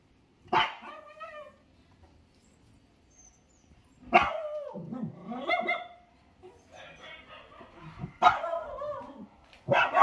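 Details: Four Lhasa Apso puppies, with a bright harmonic bark roughly every four seconds, each followed by softer trailing yips and whines, in an otherwise quiet room.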